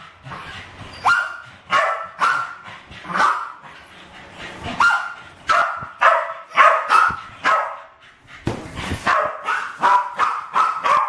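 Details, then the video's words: West Highland White Terriers Alfie and Crystal, aged about 7 and 8, attacking balloons indoors in a kitchen, 2012; bursts of sharp, bright barks at irregular intervals with a short pause midway, then rapid barking resumes. "My Westies playing with balloons!"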